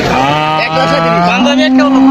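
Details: Cattle for Qurbani sacrifice at the Laokhonda cattle market in Manikganj: one long, drawn-out moo with a rich, steady tone that rises in pitch near the end, with market voices around it.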